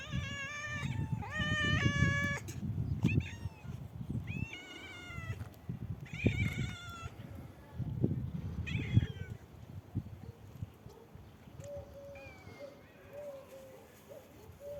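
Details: Black kitten fond of heights meows repeatedly, loud harmonic rising-falling meows in quick succession early on, then quieter softer calls, over steady low rumbling noise.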